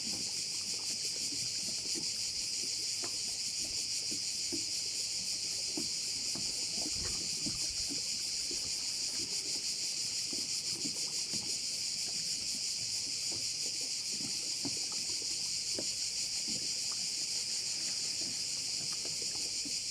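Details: Crickets calling over a bay on Korčula: a dense, continuous high-pitched shrill chorus with a fast, steady pulsing throughout, plus faint low knocks and rustles beneath.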